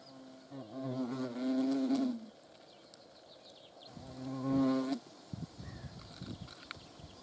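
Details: Hornet flying near the camera: a sustained low droning buzz lasting nearly two seconds, a shorter second pass a little later, followed by scattered soft taps and rustles.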